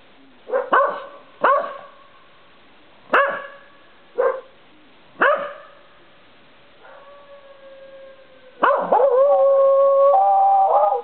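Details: Corgi at night on a porch, barking then howling; five sharp harmonic barks spaced about a second apart, then a faint steady tone and a long, loud sustained howl with a wavering pitch to the end.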